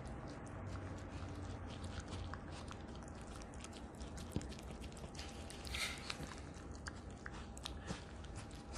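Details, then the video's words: A two-year-old female Italian Greyhound named Ha-Roong gnaws on a duck neck bone indoors, making dense, continuous crunches and wet clicks with a few louder snaps, over a quiet steady hum. "My Dog Eats "DUCK NECK BONE" ASMR"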